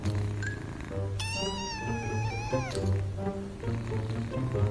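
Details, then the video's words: Domestic cat meowing in a single long drawn-out meow, holding steady then sliding slightly downward at the end, over continuous background music. "Cats and Kittens MEOWING"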